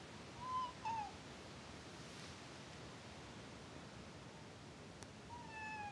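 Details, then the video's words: Fitz, a house cat said to have disliked his owner from the start, gives two short faint meows near the beginning, then a quiet room, then another drawn-out descending meow at the end. "Kitty hates me"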